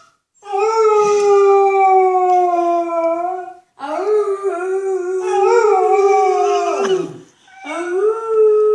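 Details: Pet dog howling indoors in response to animal noises: long sustained tonal howls with rich harmonics, a steady slightly falling note, a short break, then a wavering second howl and a third beginning.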